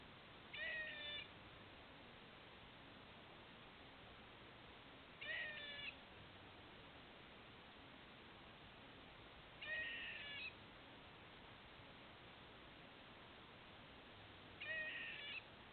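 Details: Hiccup-like calls from a squirrel near a patio: four short tonal, harmonic-rich notes, each under a second, spaced about four to five seconds apart over a steady hissing background.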